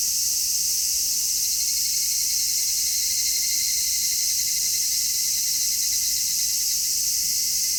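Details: Midsummer cicada chorus captured in stereo on an MKH-416 microphone: a constant, hissing high-pitched drone with no pauses, steady in loudness throughout, a faint narrow whine threaded through the wall of sound.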